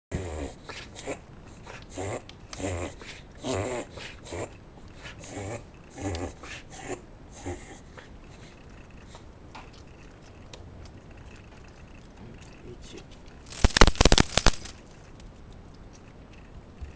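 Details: Shiba Inu named Ichi having a paroxysmal respiratory episode, a reverse sneeze: rapid, repeated snorting inhalations pulse for about the first eight seconds, then quiet indoor breathing, and a sharp loud burst near the end.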